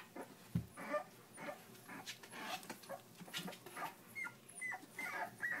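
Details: Puppies three weeks of age squeaking and whining in a chorus, a knock early on, then several clear high chirping squeals rising toward the end over constant rustling.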